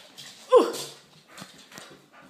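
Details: Dog at play with another dog, giving a single short, high whining yelp that slides downward, followed by soft scuffling and light thumps.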